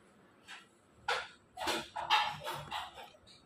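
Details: Labrador Retriever giving a short run of five harsh, broadband barks within about three seconds, the later ones tightly bunched, ending with a faint higher whine.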